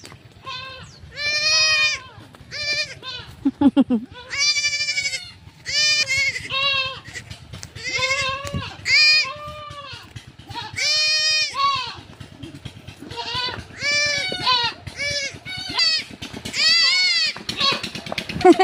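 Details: A family's pet goat, being led back home, bleats over and over: a long run of loud, quavering, nasal cries, some short and some drawn out, coming in quick succession with brief gaps between them.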